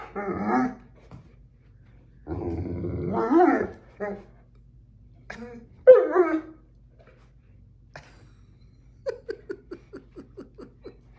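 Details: Maddie the Great Dane bickering indoors with Jack the cat over their favourite chair: drawn-out moaning growls, then a run of short, quick barks near the end, with a person's voice and laughter between.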